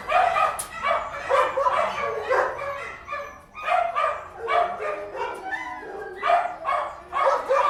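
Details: Several dogs in an indoor kennel bark almost nonstop, their harsh, overlapping barks merging into a dense, echoing chorus with brief dips between volleys.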